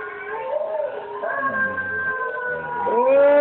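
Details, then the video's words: Molly, a pet dog, howls back at another dog playing from a screen, her long wavering tones sliding and rising, with a sharp upward swoop at the end, layered over the other dog's recorded howling. "Howling Molly"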